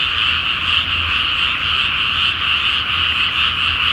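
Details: Frog chorus at night in a flooded rice field before planting, under a full moon: a dense, unbroken wall of overlapping high croaks with pulsing trills, steady throughout, faint low hum beneath.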